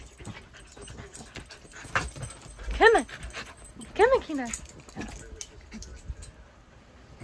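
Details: Siberian Husky pup Kenai, chased by a shih tzu during an attempt to teach it to jump on a bed, lets out two short arched yelps about a second apart amid speech and rustling.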